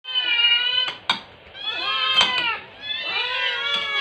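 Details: Rescue kittens about 6-8 weeks old, fostered in Metro Manila, begging noisily for food at lunchtime in September 2023: a rapid barrage of high, drawn-out meows overlapping one another, with sharp clicks and clatters between calls.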